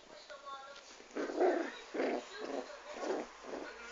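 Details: Chanel, a dwarf Pomeranian, gives a run of short, mid-pitched barks about every half second, five bursts in quick succession, with a woman's voice speaking Italian in between.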